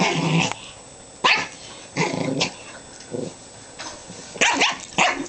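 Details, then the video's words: Pomeranian Chihuahua and Jack Russell Terrier wrestling playfully on a bed, giving short bursts of snarling growls and yappy barks separated by brief quiet gaps. "dogs getting playfully ferocious on the bed"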